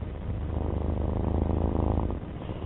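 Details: Purring of Alfie, a pet domestic cat: a steady low rumble with a regular pulsing throb that holds evenly for nearly three seconds.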